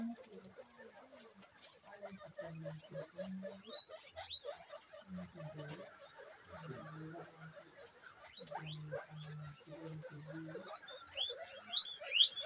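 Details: Local guinea pig giving low, buzzy, droning calls in short bursts, some pulsed and some held for about half a second, repeated irregularly, with sharp rising high squeaks near the end and a steady electronic whine in the background.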